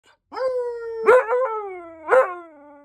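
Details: Siberian husky howling: a sustained mid-pitched tonal howl that slides slightly downward, broken by two sharper rising yips about a second apart, with clear harmonics and no background noise.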